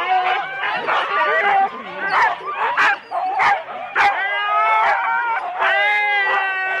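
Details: Four-dog Husky sled teams at the start, Rendlesham, January 2016, recorded on analogue cassette: many dogs yelping, whining and barking at once, a dense overlapping chorus of high excited cries with sharp bark bursts roughly every second.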